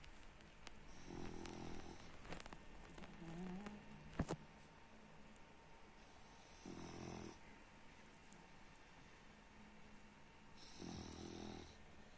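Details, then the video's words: Snoring from Baks the French Bulldog: three low, throaty snores spaced roughly four to five seconds apart, each a rough buzzing inhale with airy hiss, plus a sharp click and a brief squeaky sound between the first two. "Французский бульдог Бакс храпит"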